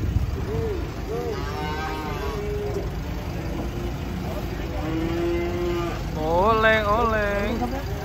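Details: Cattle being unloaded from a truck, one of them angry; a loud, wavering, harmonic bellow swells and falls near the end, after shorter tonal calls, over a steady low rumble and some human voices.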